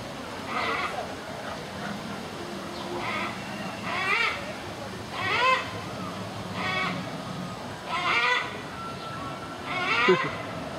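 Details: Siberian tiger at Öland Zoo, one of two kept outside in hot sun, panting heavily: raspy breathy bursts with faint tonal edges, repeating roughly every one and a half seconds, with soft background murmur.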